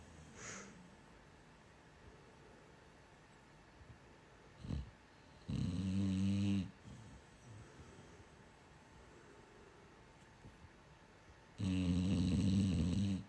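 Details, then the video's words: A female dog snoring while asleep, said to snore like this all night; two loud rasping snores about six seconds apart, each lasting about a second, in a quiet indoor room, followed by a person's voice. "she snores like this all night long"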